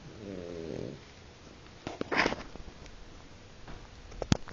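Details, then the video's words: Short, rattling, low snore from Guizmo the French Bulldog, under a second long. It is followed by quiet breathing and a few small clicks and rustles. "bulldog frances roncando"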